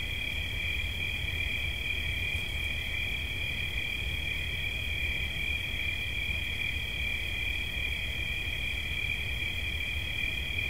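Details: Cricket chirping for relaxation: a steady, unbroken high trill with layered shimmering tones, constant in loudness throughout, over a low rumble of background noise.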